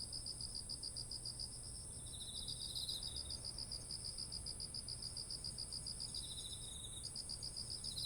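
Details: Autumn insect chorus next to heavily laden rice stalks: fast, evenly spaced high chirps pour out almost without pause, a lower second voice joining briefly, over a steady high-pitched ringing and faint low rumble.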